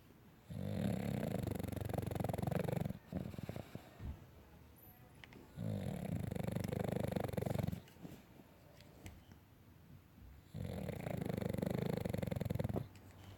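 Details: Pet dog asleep indoors, snoring in slow cycles: three long, low, rumbling snores of about two to three seconds each, separated by quieter breathing pauses and small rustles.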